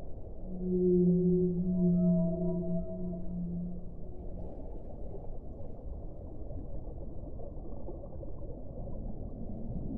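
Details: Low whale moans, two overlapping tonal notes with bright harmonics lasting about three seconds, trailing off into steady underwater hiss and rumble.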